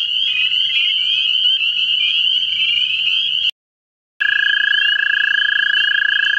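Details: In a central Ohio vernal pool, American toads call for mates. A high chorus of rapid, rising peeps dominates at first, then after a short silence a strong, steady lower trill rings out beneath the chorus.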